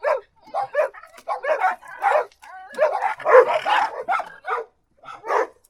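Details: Dog barking in quick bursts, sharp broad barks clustered in twos and threes with short gaps, some overlapping into a busier run midway, then a few spaced final barks.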